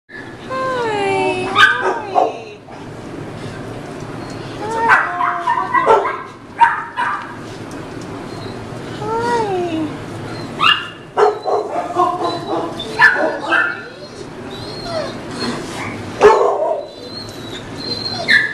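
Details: Female American Bulldog mix, rescued from animal control in Chicago moments before euthanasia and excited on her release, gives high, wavering whines that rise and fall, along with short barks in bursts every few seconds; people talk in the background.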